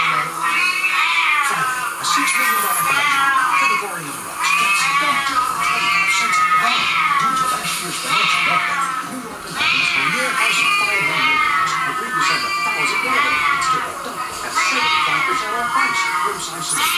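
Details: Indoor recording of a fellow Siamese cat's meows from a screen as pet Siamese Ollie and Charlie listen; a long run of loud, arching, whining meows with short pauses, with a person talking over them.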